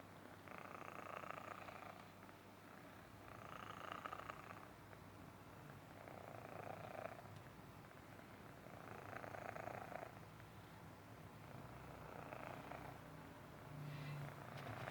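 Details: A young Himalayan Persian cat purrs continuously, a low droning rumble with rhythmic breathy swells recurring about every two to three seconds as it inhales and exhales, in a quiet room.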